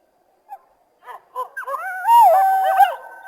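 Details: Coyote calling with a few short, separated yips that build into a wavering, quavering howl, rising and bending in pitch over its final second.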